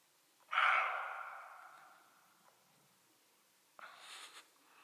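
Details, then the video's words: Roe deer barking as a photographer passes: a harsh, hoarse alarm bark, followed by a second rougher bark moments later. "Les chevreuils aboient, le photographe passe..."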